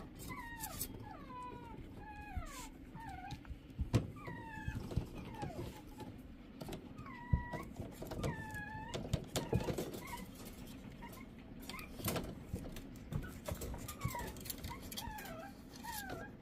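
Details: Indoor Shih Tzu whining repeatedly, each cry a brief tonal note that slides down or hooks upward, several given in close succession, with steady low hum and occasional bumps and clicks.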